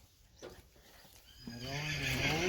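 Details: Friesian horse from a herd giving a neigh that starts about midway, a wavering, richly harmonic whinny that swells in loudness and rises in pitch at the end; faint knocks and quiet background before it.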